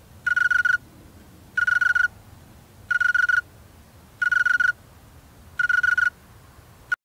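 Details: A male snowy tree cricket sings with its wings in a slow, regular rhythm, one chirp a little over every second, each a short run of clear, bell-like pulses above a soft background hiss.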